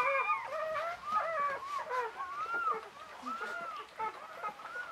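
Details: Whelping of Czechoslovakian Wolfdogs, mother Orizon and father Rahan, on 21 November 2020: five newborn female pups give thin, arching whines, some gliding upward, others drooping, in a steady chorus.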